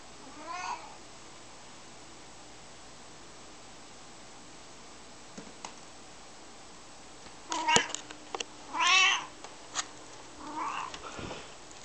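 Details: Maine Coon named Dave playing fetch: a short meow at the start, then after a quiet stretch a burst of thumps and clicks followed by a strong arched meow and a softer one.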